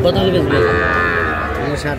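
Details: Sahiwal bull calves offered at a Madaripur, Bangladesh livestock market on 30 November 2024: a sustained low moo fills the moment amid crowd noise and nearby talking.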